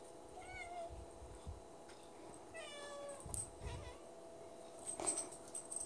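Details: Indoor cat begging at the pantry for treats, with several short meows, one early and a cluster around three seconds, plus faint rustling and soft thumps in a quiet room.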